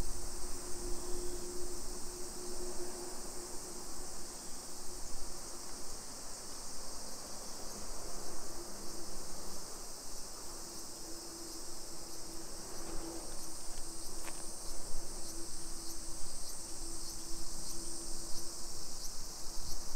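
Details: Summer cicadas in a hillside residential neighbourhood of Nisshin, near Nagoya, Aichi Prefecture, Japan, 1 PM on 28 July 2021: a steady high shrill chorus drones without pause, over a faint low hum and soft footsteps.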